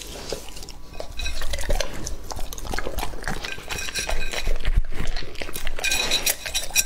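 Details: Lucky, a two-and-a-half-year-old male English-type Labrador Retriever, eating raw meat: a dense run of wet chewing, smacking and clinking bursts, irregular and rapid, with occasional bowl knocks.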